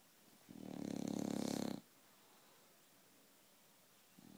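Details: A 22-month-old bulldog, indoors and half awake, snores one long, rough, buzzy breath lasting over a second. A quiet gap follows, then the next snore begins at the end.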